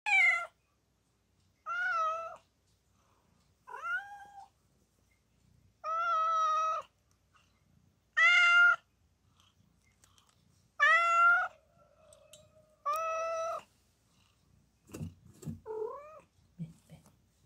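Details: Mother cat giving birth to four kittens indoors, with a person nearby helping: seven clear, loud harmonic meows, each about half a second and repeated roughly every two seconds, some rising at the end, followed by soft rustling and a faint whine.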